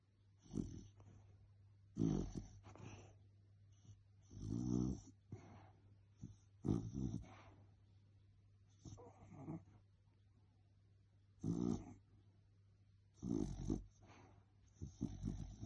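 A sleeping Cocker Spaniel makes soft muffled whimpers and low grumbling huffs while dreaming.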